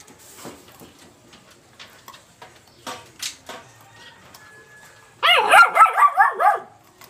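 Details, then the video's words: Black Labrador Retriever puppy between two and seven months of age, born July 28, 2020: soft knocks and scuffs, then a fast series of about six high, wavering yelp-like barks. "black labrador"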